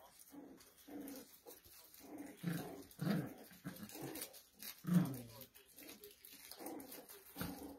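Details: Low grumbling growls and brief nasal yips from poodle puppies, in irregular bursts about every second or two, with a few louder squeaks in the middle.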